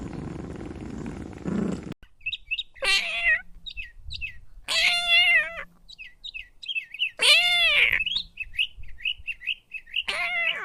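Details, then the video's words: Little kittens playing with pine cones on green grass outdoors; several short arching meows spaced a few seconds apart, mixed with quick high chirping notes in between and faint low background rumble. "Cat sounds"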